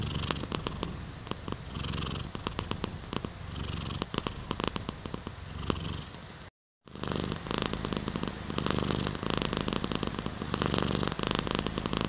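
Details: Steady purring from a domestic cat, a low buzzing rumble repeated in quick pulses, mixed with rain sounds and interrupted by a brief silent gap around six and a half seconds.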